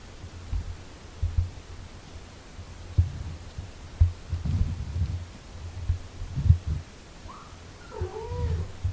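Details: Low rhythmic purring from a mother cat tending six-day-old kittens she is breastfeeding, broken by several louder rumbling bursts, with one brief thin mew near the end.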